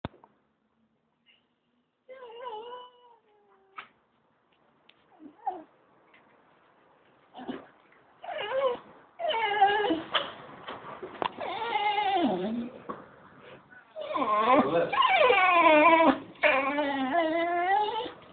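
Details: Pet dog singing indoors, filmed on a phone about three years earlier: wavering, rich harmonic howls that rise and fall in pitch, starting with short soft notes and growing into long, loud, sliding wails separated by brief pauses.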